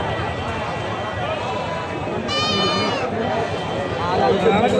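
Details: Goat at a livestock market, a single long wavering bleat with strong harmonics standing out midway through a steady roar of crowd chatter and market noise.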